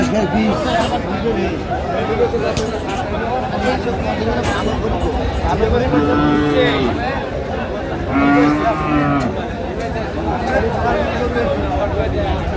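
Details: Sahiwal bull calves for sale at a cattle market in Chattogram, Bangladesh, on 25 March 2025, give two separate bending moos a couple of seconds apart amid constant bargaining talk and market hubbub.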